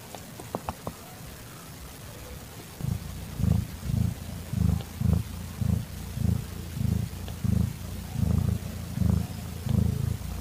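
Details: Calitabby domestic cat in heat caring for a young calico kitten, evening of 8 September 2021. After a few faint clicks, a low, steady purr sets in, pulsing rhythmically about one and a half times per second, throbbing for the rest of the recording.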